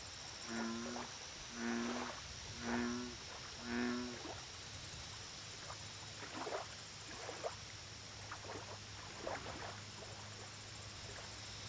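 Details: American bullfrog calling at a lake: four loud, deep, resonant croaks about one second apart, each a rich harmonic drone, followed by quieter rustling and a continuous high insect whine with pulsed chirping.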